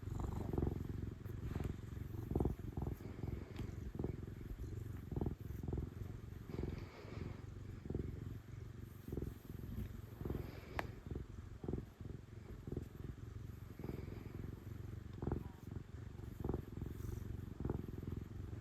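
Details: Loud, steady purr from an affectionate female cat being petted: an unbroken low rumble throughout, overlaid with soft rubbing, fur-stroking rustles and occasional faint clicks.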